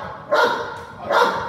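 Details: Cane Corso in a home invasion role play, barking at a person who steps toward it; two strong barks roughly 0.8 seconds apart, with faint room noise between them.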